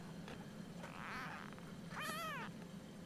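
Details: Almost four-week-old Siamese kitten, woken early in the morning: a faint breathy mew, then a loud arched meow rising and falling over half a second, between a woman's gentle questions indoors.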